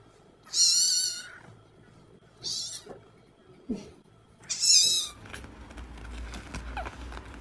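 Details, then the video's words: Domestic cat meowing in a cute compilation: several high, harmonic meows at the start, around 2.7 seconds and near 5 seconds, followed by softer rustling and handling noise. "Funny Cat Sounds"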